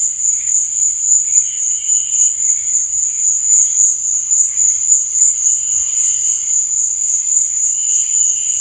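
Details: High, shimmering cricket chirping after dark, a fast pulsing trill without pause, accompanied by faint lower tones that come and go.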